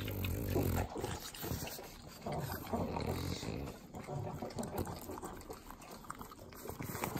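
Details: Three pug dogs eating butter in Southern California's Inland Empire: wet, sloppy licking with rapid irregular smacks and low snuffling snorts, dense and continuous throughout.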